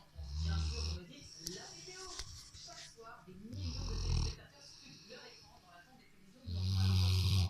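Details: Snoring Rottweiler lying on the couch, giving loud, low, grinding inhalations several seconds apart with airy exhaled hisses between them; human voices murmur underneath.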